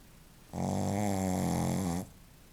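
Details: Sleeping Shih Tzu Joaquim lets out one rasping snore lasting about a second and a half, a low buzzing hum with rich overtones, preceded and followed by near silence.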